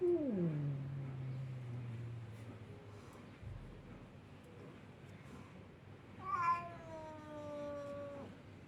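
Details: Siamese cat meowing, wanting to go visit a ginger cat: a low, drawn-out call that slides downward and fades into a growly tail, then after a pause a higher, wavering meow that falls slightly over two seconds.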